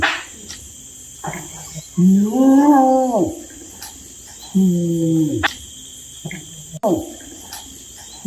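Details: Orangutan giving drawn-out, wavering hooting calls that rise and fall, two main calls about a second each with short grunts between, over a steady high background hum.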